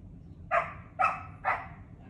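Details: Female poodle Sawol barks while reacting to a squirrel she nearly caught: three short, clipped barks spaced about half a second apart, over a faint low-pitched background hum.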